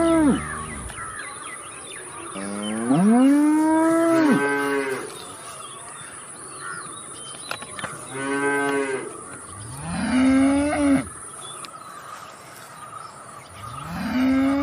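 A cow gives several long, loud moos, each rising then falling in pitch.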